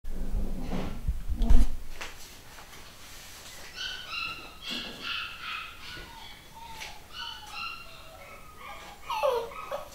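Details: A new litter of home-bred pedigree Long Haired Miniature Dachshund puppies in the UK, male and female. After a low thump early on, several high, thin whimpers follow in the middle section. The calls are stacked and wavering, with soft squeaks near the end.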